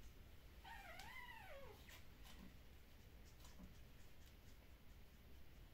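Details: A puppy of Kumi's litter, handled during early neurological stimulation in the Netherlands, gives one wavering, rising-and-falling whine for about a second, followed by soft clicks and handling noises over a low hum.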